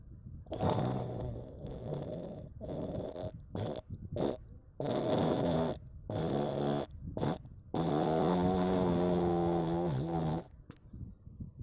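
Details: Sleeping domestic cat snoring: low, rasping rumbles with harmonic bands come in bursts of uneven length, some long and steady, others short, separated by brief quiet gaps, with no other clear sounds.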